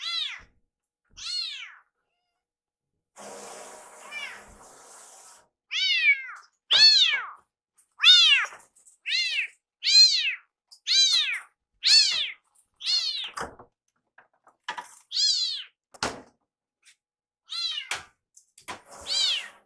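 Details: Rescued male kitten Iru cries loudly around his caretaker in the kitchen until his meal is ready. About fourteen ringing, harmonic meows repeat roughly every second, with a brief hiss of kitchen noise near the start.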